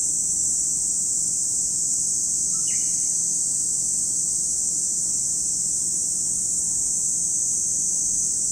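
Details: Cicadas at Lake Kamo in Sado City, Niigata Prefecture, Japan, giving a steady, unbroken high-pitched shrill drone that never pauses, with one brief bird chirp near the third second.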